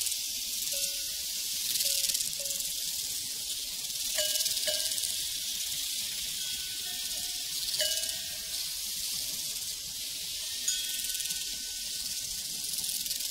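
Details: Crickets on a prairie chirp in a rapid, high, unbroken chorus while cowbells ring out several times, each clang a clear tone with a short ringing tail above the insect hum.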